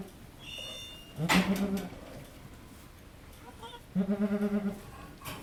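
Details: Birthing nanny goat Halley Berry, delivering the second of triplets at Needham Goat Farm, gives two low, trembling bleats about three seconds apart; a sharp click lands on the first, with faint high tones beforehand.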